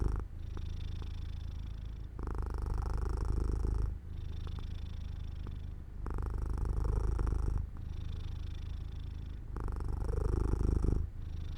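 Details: Domestic cat falling asleep near an open window in the sunlight, purring steadily: a deep, low rumble alternating in phases of roughly two seconds, each with brief quieter gaps between breaths, in a quiet indoor room.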